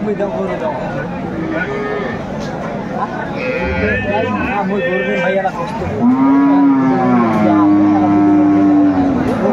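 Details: At Aftabganj livestock market in Bangladesh, where improved-breed dairy cows and calves are traded, 26 May 2024: a low, sustained moo in the second half, after stretches of human chatter and market noise.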